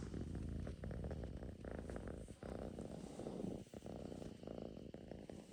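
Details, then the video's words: Russian Blue cat purring steadily, a low rumbling drone with rapid pulsing texture, briefly dipping in strength a few times. "Purring machine is on"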